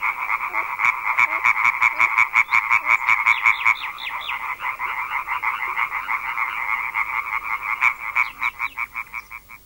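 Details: European tree frogs in a large breeding gathering, a deafening chorus that begins at dusk and can carry more than a kilometre, from a French field recording: dense, rapid rattling pulses overlapping continuously, several males calling at once.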